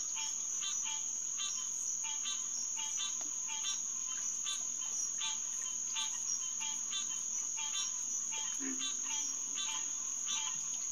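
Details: Night chorus of green tree frogs, Hyla cinerea, at SMNWR's Headquarters Pond, June 2, 2021, near 9:10 pm; evenly spaced nasal quonks about twice a second, a steady high insect tone, and one brief low note.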